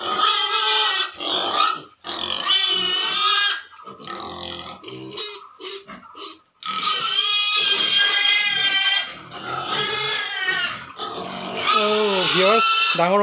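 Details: Pigs on a piggery scream loudly in long, piercing harmonic squeals lasting a few seconds each, broken by short gaps and some lower grunts, ending in bending, wavering cries.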